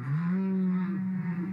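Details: Whale song played back in a lecture, sung with the mouth closed and audible from over 1000 km away; a long, steady, deep moan with rich overtones holding one pitch throughout.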